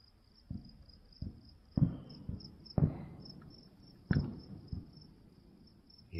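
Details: Crickets at night in a cemetery, a thin, steady high-pitched pulsing trill running throughout, under repeated dull booms and cracks of distant fireworks.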